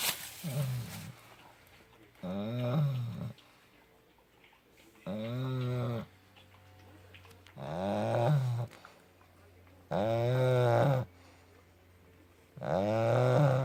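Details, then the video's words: Puppy snoring loudly while asleep: six harsh, vibrating snores, each roughly a second long, recurring every two to three seconds, the later ones louder and fuller, quiet room between breaths. "Храп щенка."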